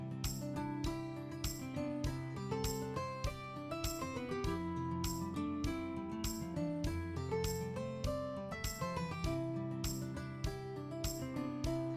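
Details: Background music with plucked and keyboard-like notes in a steady pattern, no animal voices audible.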